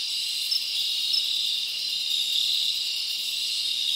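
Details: Summer night in the forest, many crickets chirping together as an unbroken high shimmering drone, with only a few faint brighter pulses standing out.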